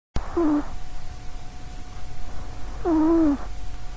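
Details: Sausagecat, a short-legged female house cat, snoring loudly while asleep beside a microphone; two nasal, tonal snores with a slightly falling pitch, each lasting about half a second, separated by quiet breathing.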